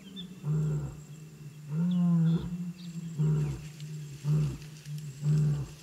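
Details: Calls of African wild dog puppies at the den, a string of deep, hollow moans with rich overtones, some clipped and some drawn out, coming roughly once a second in an uneven rhythm.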